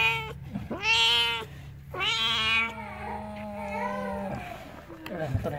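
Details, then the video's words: Pregnant village cat close to giving birth, indoors: two loud, bright meows, then a long, lower, wavering moan, and a person speaks briefly at the end. "Suara Kucing Mau Melahirkan"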